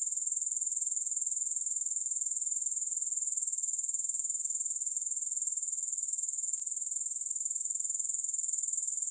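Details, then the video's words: Grasshoppers trilling in a steady, very high, shimmering chorus, unbroken across the whole stretch, with a fast pulsing texture and no music or other sounds. "Grass Hopper Sounds"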